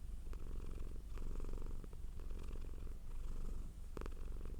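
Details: Cat purring softly, a low throbbing rumble rising and falling with each breath, with one sharp brighter burst near the end.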